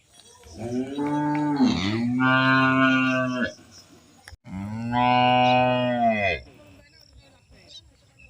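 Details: Mooing of village cattle in India: a long nasal moo with a rough opening and steady middle, a short pause, then another sustained moo that drops off, with faint background noise afterward.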